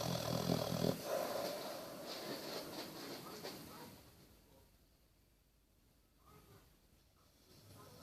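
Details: Bertie, a Basset Hound asleep indoors, lets out a throaty, vibrating snore in the first second, followed by quieter breathing and a long hush.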